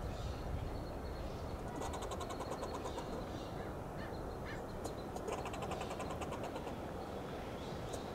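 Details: Fox squirrel on a coast live oak tree in Del Monte Forest, California, scolding with fast staccato clucking bursts in two rapid series, set against a constant low rumble like passing traffic.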